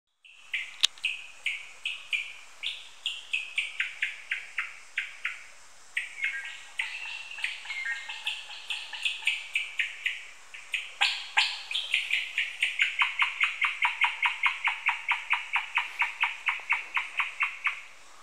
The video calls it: Red squirrel chirping..